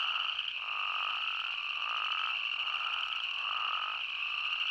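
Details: Chorus of spadefoot toads recorded in Arizona: repeated nasal bleats, roughly one per half second to second, stacked over a continuous high-pitched drone with no other sounds standing out.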